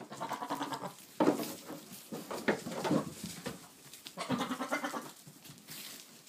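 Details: Boer buck calling to his goats on 22 October 2013: repeated tremulous bleats in bursts, loudest around the first seconds and again later, with short quavering pulses and brief pauses between calls.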